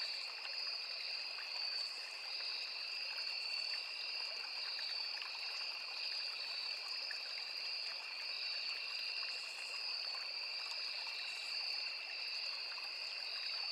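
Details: Crickets calling in a forest beside a small river: a dense, unbroken high shrill chorus with two steady tonal bands and a faint pulsing shimmer on top, over constant trickling and rushing stream water.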